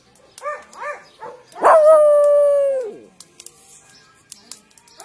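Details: Miniature Pinscher giving a couple of short yips, then a long, steady, high-pitched howl lasting over a second that drops away at the end, followed by faint clicks and small noises.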